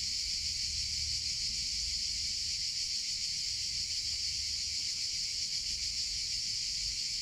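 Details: Shrill, unbroken cicada buzzing on a summer day, loud and even, with a weak low rumble behind it.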